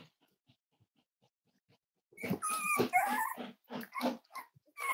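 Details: Cavalier King Charles Spaniel puppies, five weeks old, from Myra and Remy's litter at Red Barn Cavaliers, handled indoors for weight checks: a sudden burst of squeaky, wavering whines and yelps after two seconds of near quiet, then shorter broken cries.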